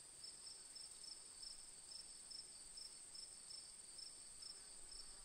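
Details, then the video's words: A cricket gives rapid, evenly spaced high chirps, about thirteen in five seconds, against a continuous piercing whine of more distant insects. "Relaxing Moon with Cricket Sounds"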